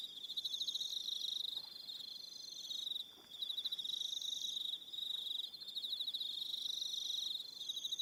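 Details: Crickets calling on an evening at Aroha Island, New Zealand: a steady, high, pulsed trill runs nearly throughout, with a second higher chirping voice joining in repeated bursts and a brief dip around three seconds.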